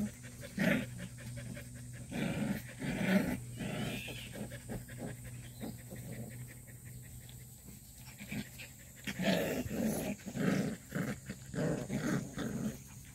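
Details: Purebred black Jindo dog: breathy bursts of panting and short low grunting calls come in clusters, loudest near the start and again around nine to eleven seconds, over a steady low hum.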